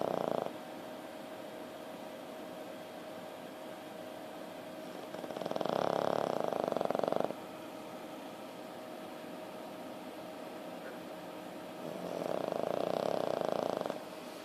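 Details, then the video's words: A male French Bulldog on painkillers, after being bitten by another dog and getting stitches inside his mouth, snores in loud, rasping breaths spaced several seconds apart over a steady low hum. "Bubba the French Bulldog Snoring"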